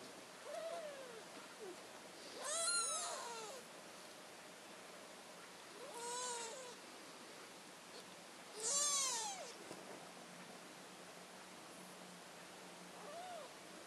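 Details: British Shorthair kittens at a cattery in Poland give high, arching mews with rich overtones, about five short calls spaced a few seconds apart, some in quick doubled bursts, over a steady faint background hiss.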